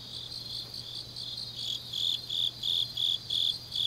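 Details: Changnyeong autumn night insects, Korea: a soft continuous high trill at first, then strong chirps rising in and pulsing about three times a second toward the end, with a faint low hum beneath.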